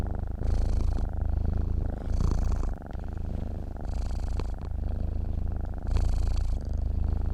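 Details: Dozing cat purring continuously: a low, buzzing rumble that grows louder on alternate breaths, about four clear swells, with the drone never stopping and no other noises.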